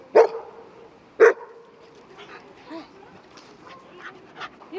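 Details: Dogs at a dog run in Rotterdam, Netherlands, recorded 5 March 2024, with a relaxed four-year-old Shiba Inu among several large dogs and a dog walker; two sharp, loud barks about a second apart, then faint softer yips and rustling.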